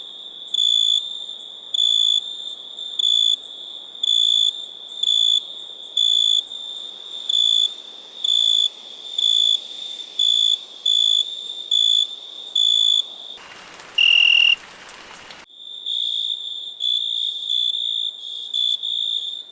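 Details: Cricket producing regular short, piercing trilled chirps about once a second. Near the end the chirping stops briefly during a louder, lower tone and a rough noise, then resumes more softly. A steady high hiss continues throughout.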